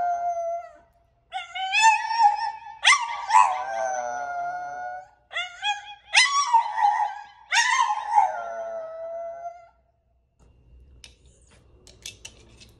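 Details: French Bulldog howling the words I love you: a string of short rising, wavering howled syllables in several bursts with brief gaps, ending in near silence with faint low rumble.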